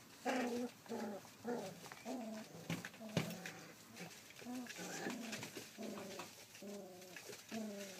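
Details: Rough Collie puppy, 33 days old, filmed indoors on 28 July 2012, gives a steady run of short, low, tonal grunting whines, about two each second, over faint rustling.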